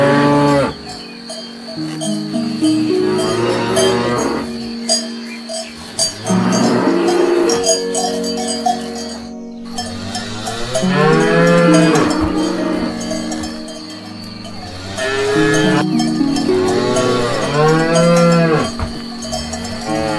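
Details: Cattle grazing on grass, a herd calling with many deep overlapping moos at irregular intervals, each call swelling then falling, against ongoing cowbell ringing.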